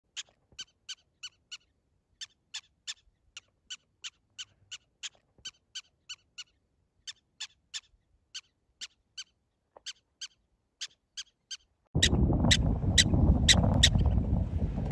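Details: Prairie dog freaking out, giving a rapid series of sharp, harmonic chirping barks, about three to four per second, steady for twelve seconds before a loud rumbling noise burst covers the final calls.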